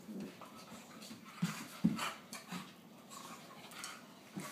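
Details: A Cairn terrier puppy gives low, rumbling growls in short bursts while rough-playing with a larger English bulldog that isn't having it.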